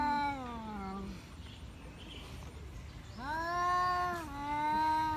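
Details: Two cats fighting over a female in a village: a long harmonic yowl sliding downward, a pause, then a second drawn-out wail rising sharply and holding steady, with faint background rustle.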